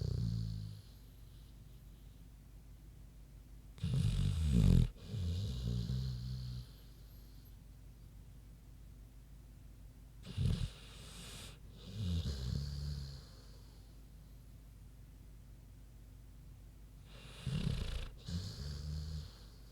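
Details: Big pig Queenie snoozing, giving slow, deep snores roughly every seven seconds; each breath starts with a harsh, low rasping snort and trails into a softer, fluttering rumble, with quiet pauses between.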